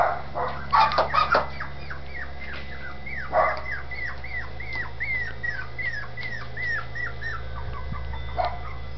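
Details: Dachshund puppies in Campinas, São Paulo, happy in their new little house: a rapid string of short, high arched whimpers and yelps, some rising then falling, after a few sharp knocks at the start, over a steady low hum.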